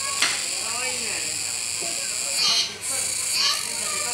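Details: Kuroiwa cicada calling at Neo Park Okinawa on 16 October 2021 while a capybara feeds: a dense, steady high hiss with rhythmic surges about a second apart, a brief dip between them, and faint voices of people underneath.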